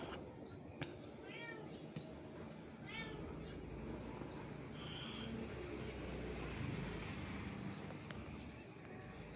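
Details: Cat giving two short meows, about one and a half seconds apart, early on, followed by a steady rushing background noise.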